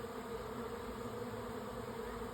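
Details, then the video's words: Honey bees of a swarm finding their way into a hive, May 24; continuous droning hum from many bees, steady in loudness, a thick buzzing wall of sound. "Honey Bee Swarm # 2 - Bees moving into a hive"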